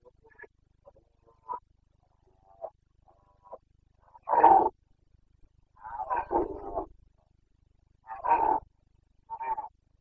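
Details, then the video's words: Red deer stag of the Carpathians during the rut, Bucovina, 29 September 2022: faint clicks and grunts, then a series of loud guttural roars, one drawn out for nearly a second, repeated at uneven intervals. "Boncănit / Carpathian stag Breeding season"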